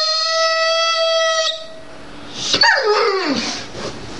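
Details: Jade, a female Dobermann, cries and complains because she does not want this dog food but a tastier one, perhaps her siblings'. A steady, high, harmonic whine holds for about a second and a half, then a noisier falling whine slides downward.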